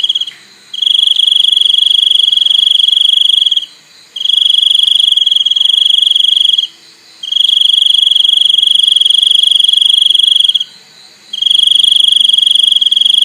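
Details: Crickets calling with a loud, steady, shrill trill, high and pure with faint overtones, delivered in bursts of about three seconds separated by short pauses of under a second, four bursts in all.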